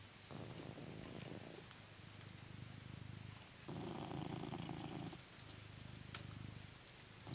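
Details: Purring blue British Shorthair named Coconut, from England, enjoying being brushed. The low buzzing purr swells and fades in long cycles with audible breaths, and soft brushing noises come through faintly.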